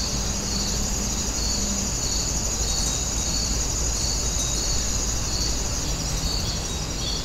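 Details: Grass insects chirring at Wonin-jae, a continuous high, thin buzz with rhythmic pulses about twice per second, set against a steady low rumble and a brief faint hum near the start.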